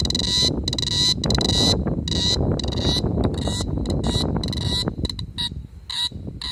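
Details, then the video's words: On a summer night in 2017 in Da-an District, Taichung City, a cicada gives harsh, buzzy bursts that switch on and off every half second or so, over a low wind rumble. "Cicada chirping at night."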